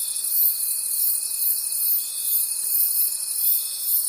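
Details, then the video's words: Crickets calling at night in a forest, a dense high chorus of shrill trilling with a steady pulsing rhythm, several callers overlapping, plus a thin continuous whine lower down. "Forest Sounds and Cricket Conversations at Night"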